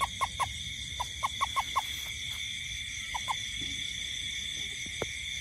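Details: A toad gives short, hollow mid-pitched notes in quick runs over a steady night chorus of insects, in a garden at night during rain.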